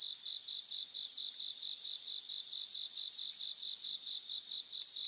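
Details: Bell crickets in a grassland in Japan produce a high ringing trill that grows louder in three swells, backed by a fast, evenly pulsing insect chorus.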